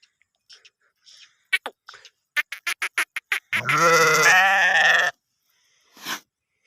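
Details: Sheep grazing in green fields in a village in Gilan, Iran: a run of sharp clicks and knocks, then one loud, quavering, wavering bleat lasting about a second and a half, followed by a brief soft rustle.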